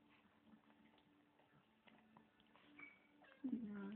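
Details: A female Tibetan Spaniel gives a brief, wavering, meow-like, cat-like cry after a quiet indoor stretch.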